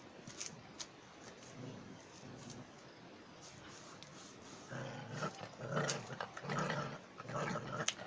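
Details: German Jagdterrier giving low rumbling growls, softer and patchy at first, then louder pulsing bursts in the second half with sharp clicks mixed in.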